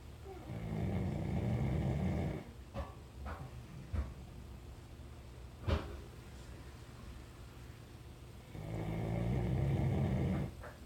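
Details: Labrador Retriever snoring very loudly: two long, deep, rasping rumbles, one in the first two seconds and another near the end, with a quieter stretch of faint clicks and small sounds between them.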